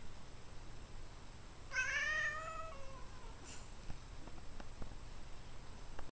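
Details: An 11-year-old male tabby cat indoors, talking and yawning at once: one drawn-out harmonic meow that falls in pitch and fades over about a second, then quiet with faint clicks.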